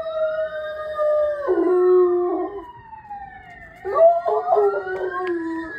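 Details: A German Shepherd howls with long, wavering tones alongside the rising and falling wail of a police siren, running after the police car; owner suspects he feels his owner is coming.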